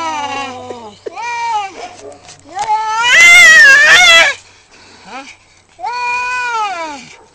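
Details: Fighting cat caterwauling: strained, quavering yowls that swell into a loud, shrill, wavering howl near the middle, then fall quiet before another drawn-out moaning cry at the end.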